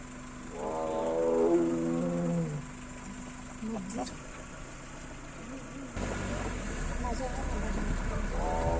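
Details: Big male tiger T-101 roars continuously on a road in Ranthambore National Park on a foggy morning to call a female: long, deep, moaning roars swelling and fading over about two seconds, with engine rumble and quiet voices.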